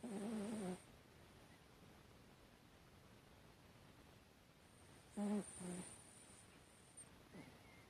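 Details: A Chihuahua asleep with paws dangling, recorded 12 September 2018, snoring: a short buzzy nasal snore with a low tone at the start, then a paired snore about five seconds later, quiet room hiss between.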